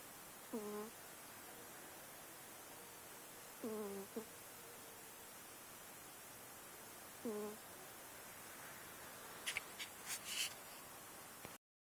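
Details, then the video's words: Sleeping pet cat snoring: three short tonal, slightly whistling snores spaced about three and a half seconds apart, each with a brief rising tail, followed by a few faint clicks and rustles near the end. "Cute snoring kitty"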